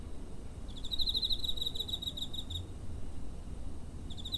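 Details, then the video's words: A cricket near home, 7 September 2023, TASCAM DR-05 recorder. One rapid, high-pitched pulsed trill lasts nearly two seconds, and the next burst begins at the end, with a low hum underneath. "Cricket chirping (コオロギの鳴き声"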